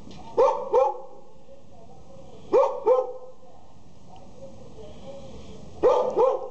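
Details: Border Collie puppies in Jalisco, Mexico, giving short high-pitched yapping barks in doubled bursts, three pairs spaced about two to three seconds apart over a steady low background hum.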